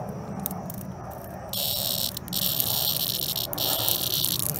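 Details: Attacked by a European hornet, a cicada starts with faint scattered ticks, then breaks into a loud, sustained, rasping high buzz that stalls briefly and resumes stronger.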